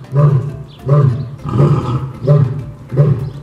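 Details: Coda, a 15-year-old male African lion at a zoo's sloping hillside lion exhibit, filmed April 30, 2022, gives a run of deep, throaty grunts, one roughly every three-quarters of a second, showing off his roar; lion.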